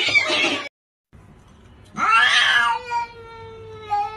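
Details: Kitten meow: a burst of scratchy noise, a brief pause, then one loud drawn-out meow that swoops up and settles into a long level tone with a faint echo at the end.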